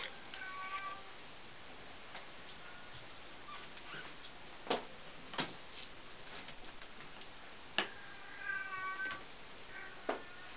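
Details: German Angora kittens, four weeks old, move about their playpen while mother cat Äffchen tends them; thin harmonic mews come in brief bursts, with a longer wavering mew near the end, amid sharp clicks and tapping.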